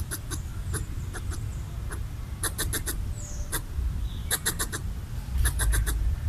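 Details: Red squirrel eating coconut bits and chattering to scare off a perceived threat; scattered clicks build into quick rattling bursts, with faint bird chirps and low rumble behind.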